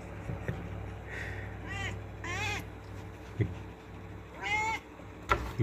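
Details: Pet cat Moesa complaining to have a door opened: three soft, wavering meows, fairly faint against a humming background, with a few light knocks between them.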